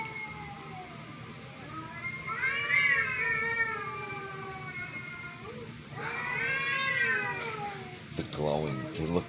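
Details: Pet cats reacting to a strange meow; two long, tonal, arched meows several seconds apart, a short sharp yowl near the end, and a person talking quietly in the background.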